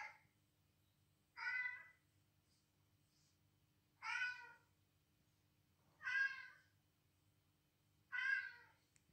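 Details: Kitty, an edgy but curious female house cat, defends her space indoors against cat calls played to her. Five loud, harmonic, slightly falling meows come about every two seconds, separated by quiet room hum.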